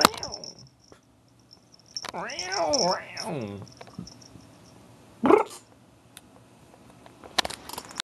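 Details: Pet cat reacting to a noise it has always hated: a drawn-out wavering meow rising and falling for about a second and a half, then a brief sharp squeak, with a high steady tone, voices and small knocks indoors.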